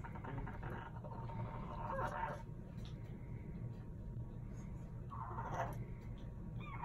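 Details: French Bulldog making a dolphin-like noise: two breathy, mid-pitched squealing bursts, the first about two seconds long, the second shorter, over a constant low rumbling background.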